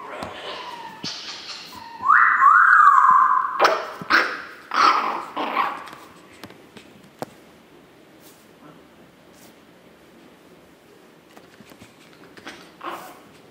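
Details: From Chihuahua World on 9 April 2016: a Chihuahua puppy lets out a sustained wavering whine. A run of sharp, loud yelps follows before quieting to near silence, with one faint cry at the end.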